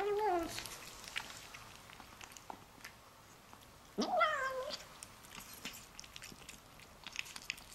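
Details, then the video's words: Female Bengal-mix kitten, excited while eating her favourite food: two short tonal meow-like cries, a falling one at the start and a rising-then-falling one four seconds later, between steady clicky chewing and smacking noises in a small room. "Kitten makes hilarious sounds while eating"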